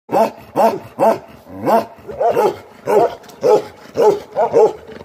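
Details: Aggressive Bakarwal dogs, sheep guardian dogs, barking in a rapid harsh series, about a dozen deep barks in five seconds, each a rising-then-falling arched bark with rich harmonics, given at an uneven pace.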